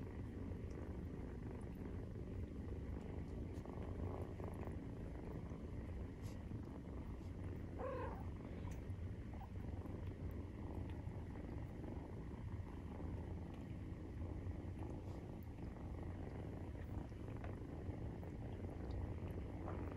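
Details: Maine Coon cats purring during nursing, kittens 43 days after birth, indoors: a steady, low rumbling purr with fine rapid pulses that runs without a break, plus a brief faint higher squeak near the middle.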